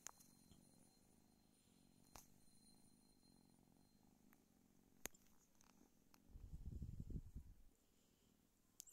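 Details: Rescued female kitten in India waking under a blanket in winter, stretching and yawning; soft, low rumbling purr, faint and steady at first, then swelling louder for about two seconds near the end, with scattered small clicks and rustles.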